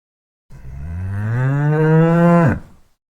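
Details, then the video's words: Single long cow moo of about two seconds, low and steady with a slight rise, ending in an abrupt falling drop. "Yes! The cow says moo."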